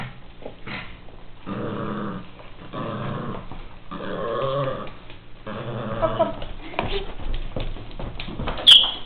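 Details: Kiwi, a pet Miniature Pinscher, growling while playing: several sustained rough growls of a second or so each, separated by short pauses, ending with a brief high squeak.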